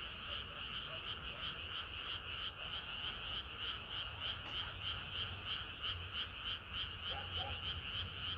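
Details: Summer-night frog chorus with many frogs calling at once, fast pulsing high croaks repeated about three times a second, and a few lower clucking notes.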